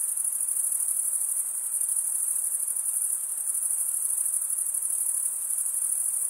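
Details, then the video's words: Crickets, males stridulating by rubbing one wing along the toothed vein of the other, produce a dense, steady high-pitched trill with no pauses, an unbroken shimmering band throughout, with faint soft background noise below. "Most relaxing cricket sound"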